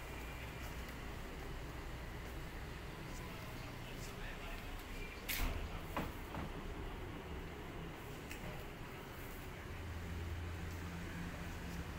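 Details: Low rumbling vehicle or train noise with a faint murmur of speech, scattered clicks and a sharp knock midway.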